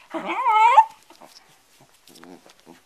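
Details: Bedlington Terrier playing with a cloth and nearly choking on it: one high, wavering, nasal whine lasting under a second, then faint snuffling and a short quiet whimper, indoors.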